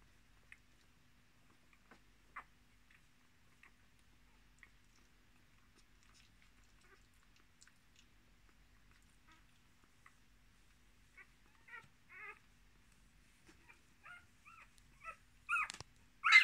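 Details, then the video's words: Litter of six Miniature Australian Shepherd puppies with their mother, born 10 March 2020; scattered soft ticking and tiny squeaks grow into a run of short high squeals, clustering and getting louder toward the end. "Miniature Australian Shepherd Puppies"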